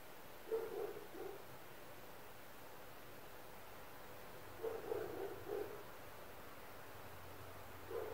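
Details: Neighbouring dogs in an apartment setting bark in short volleys of three or four muffled barks separated by several seconds of quiet, with a low background rumble.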